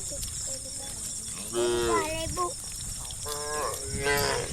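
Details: Tame cattle, dozens walking in single file toward a farm pen on a calm evening; two drawn-out moos with wavering harmonics, the second fainter, over a steady high background hiss.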